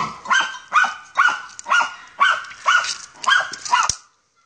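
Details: Ata von Jagdwald, a German Hunting Terrier on a wild boar hunt, lets out eight harsh, rasping barks spaced about half a second apart, then falls silent.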